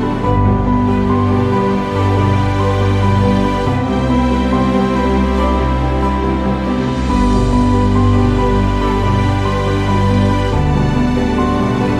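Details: Soft, sustained instrumental music plays throughout with no animal sounds. Low tones and held chords carry the piece from start to finish.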